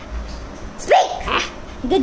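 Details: A two-month-old male Rottweiler puppy gives a few short, high, yelping barks on command during "speak" training.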